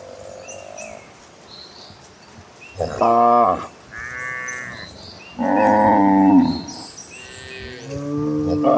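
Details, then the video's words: A herd of cattle heading toward green pastures. A soft low moo opens, then a loud rich bellow and a second, longer lowing call, with fainter moos from other animals behind. "A herd of cows running toward green pastures, the sounds of gentle cattle."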